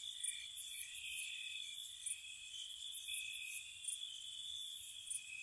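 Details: Crickets at night in spring near a cottage: a steady, high, shimmering trill that never stops, layered with brief brighter bursts that flare up every second or so.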